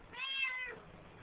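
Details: Siamese cat in a bathroom sink, a talkative pet filmed on a flip phone, utters one meow that starts high and slides gently downward over roughly half a second, followed by faint room hum.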